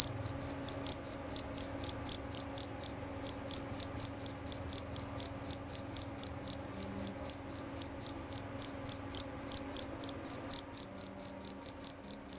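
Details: A jerabang cricket's loud, clear call: rapid, shrill high-pitched pulses in a long run, broken by two brief pauses, over faint low background hum.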